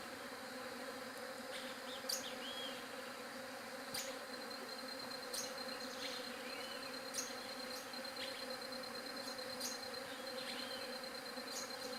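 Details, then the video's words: Bee buzz forming a low, unbroken droning hum, overlaid by sharp bird chirps and a few curling whistled notes. "SOM DE ABELHA"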